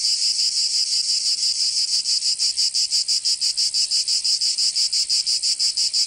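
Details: Provence cicadas in summer, southern France, fill the air with a harsh high-pitched rattle that starts fairly smooth, then settles into regular rapid pulses roughly three per second.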